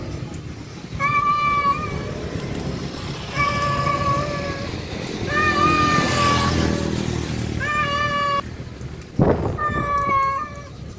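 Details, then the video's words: Male cat calling to a wild female during mating: long, drawn-out harmonic meows about two seconds each, steady then slightly wavering, repeated five times with short pauses, over a low background rumble. "Suara Jantan Kucing Panggil betina Liar"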